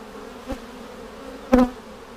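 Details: Honey bee colony in a vertical split with a double screen divider board, seven days after splitting, checked for queen cells on March 10, 2019: steady low droning hum with an overtone above, broken by two sharp knocks.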